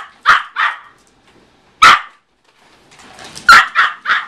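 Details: A very small Yorkshire Terrier, about 1 year old and 4.5 lbs, chasing a car with sharp, high, yappy barks, mostly in quick pairs, with short pauses between bursts.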